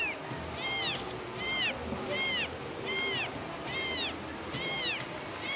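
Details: A kitten calling its mother utters seven evenly spaced, high-pitched meows, each bowed and slightly falling, about one every 0.8 seconds, over faint background hiss.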